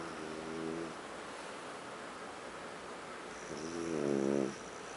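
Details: French bulldog named Huck asleep on a living-room sofa, snoring: a harmonic, buzzy snore near the start, then a louder, rising wavering snore around the four-second mark, quiet room hiss between breaths.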